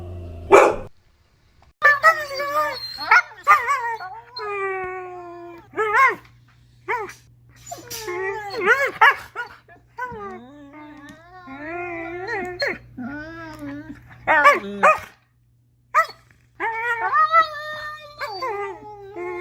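A Siberian Husky gives drawn-out, wavering whines and yowls broken by short bark-like yelps.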